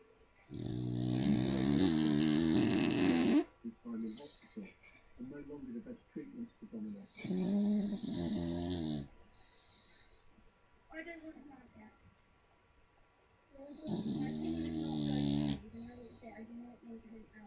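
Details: Sleeping little Staffordshire bull terrier snoring very loudly: three long, rumbling, buzzy snores spaced several seconds apart, with a man's voice from a television talking in the gaps between them.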